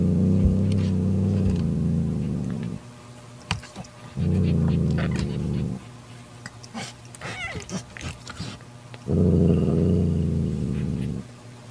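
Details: Mother cat Mocha makes long, deep, buzzing growls to banish her sister Kofi, who tries to take her newborn kitten. Three sustained growls of about two seconds each are separated by quiet stretches with scattered clicks and rustles.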